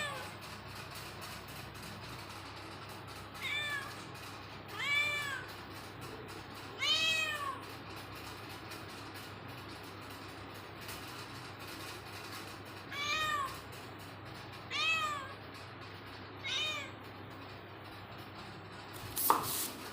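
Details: A cat meows about six times at irregular gaps of roughly two to six seconds. Each meow is arched, rising then falling, over a steady low background hum, and there is a sharp click at the end.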